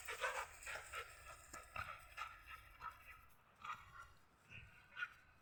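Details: Pit bull puppy dominating an adult white husky in play; short harmonic yips and whimpers come in quick, irregular bursts, some doubled, with quieter gaps between them and faint rustling underneath.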